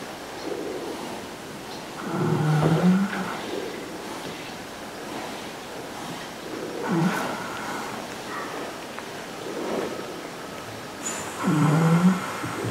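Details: Horses resting peacefully at the Equinisity Retreat in 2016 snore, each slow rasping, rumbling breath rising slightly at its end and returning about every four to five seconds, with soft breathy noise between.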